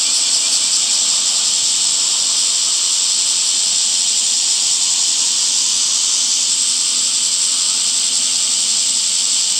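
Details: Cicada calling in summer, a constant sizzling high drone without pause, slightly wavering in intensity over time.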